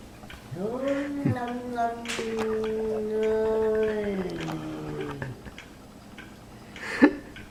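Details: Domestic cat Chalupa getting mad at the kitten Ricky, indoors: a long, drawn-out moaning yowl with rich harmonics that holds a steady low pitch for about four seconds and then dips and fades, followed by a sharp click.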